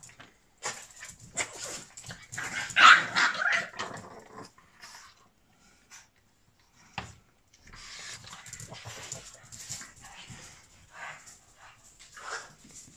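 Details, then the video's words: Tonik, a five-month-old Boston Terrier puppy, reunited with his owner after an eight-hour separation; a burst of frantic yelping barks and whines, a brief pause, then softer continued whimpering and rustling. "Harsh Reunion After Being Apart for Whole Day - Boston Terrier Puppy Barking Mad"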